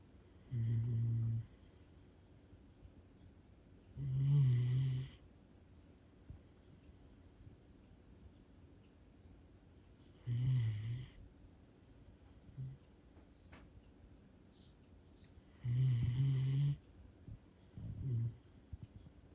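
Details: Siberian Husky puppy snoring loudly while asleep indoors in Japan, eyes rolled back; low rumbling snores about one second long, repeating every three to six seconds, with quiet gaps between breaths.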